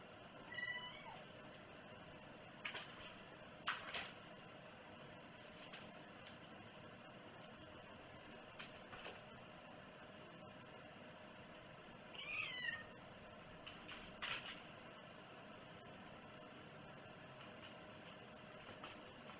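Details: A pet cat mews briefly at the start and again about twelve seconds in, each call a short, bent, tonal note, separated by clicks and a hushed indoor background.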